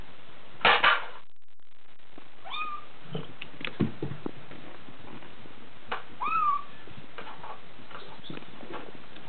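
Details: Six-week-old Bengal kitten DeeDee, born 13 January 2014, indoors; two short, thin, rising-then-falling mews about four seconds apart, mixed with sharp knocks, thumps and handling noise.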